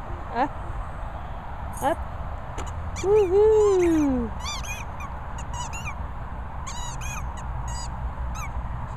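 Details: Border Collie named Pitcher Pip whizzing: a drawn-out tonal whine arching up and then sliding down over about a second, with short yelping notes before and after and steady background hiss.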